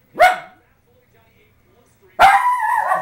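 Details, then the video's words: West Highland White Terrier, a pet dog reacting to the Winter Olympics moguls event on TV; two sharp barks a couple of seconds apart, the second drawn out and strained, with quiet room background. "Our Westie, Oliver, goes berserk watching Olympic moguls event"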